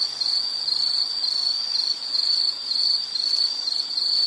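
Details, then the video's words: Insect sound from a nature-sounds relaxation recording: a steady, high, continuous cricket-like trill that barely wavers in pitch and holds throughout, with no other clear sounds. "Nature Sound of nature sounds scenery L · insect"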